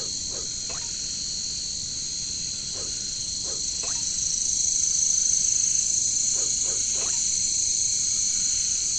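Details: Katydids (bush crickets, locally caricangkas) in a jungle: a steady, dense, high shrill drone with layered bands. Short knocking, croak-like pulses come in small clusters over it, and a soft low rumble sits underneath.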